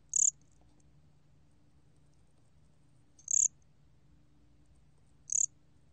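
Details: Calling 곰귀뚜라미 cricket: three short, shrill, high chirps roughly two to three seconds apart, each a quick buzzy burst, over a low steady background hum.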